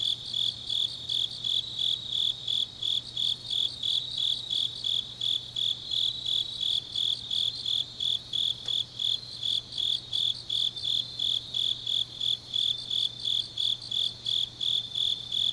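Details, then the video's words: Grass insects on a deep autumn night in Changnyeong, Gyeongnam, South Korea: high, ringing chirps pulse steadily at about three per second, with fainter overlapping chirrs from other insects and a low steady hum beneath. "깊은밤 가을 풀벌레 소리"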